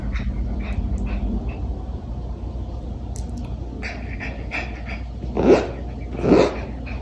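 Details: Two excited Mameshiba sisters, a black Shiba among them, barking indoors at a stranger who arrived for internet installation work; two loud, broad barks near the end after quieter rustling and background hum.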